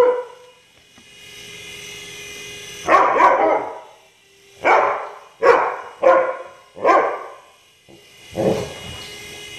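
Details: Indoor Siberian Husky chasing a remote-control helicopter through a house, giving six loud, rough barks at irregular intervals of roughly one second, some doubled. A steady mechanical whine from the toy helicopter runs underneath.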